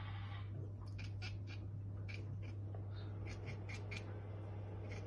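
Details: Domestic cat chattering at prey it cannot reach, rapid clicking bursts in quick succession over a steady low hum.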